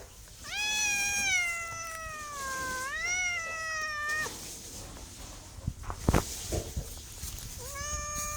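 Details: A cat's meows, two long wavering cries run almost together, then a pause with a few soft knocks and clicks, and a final meow starting at the end.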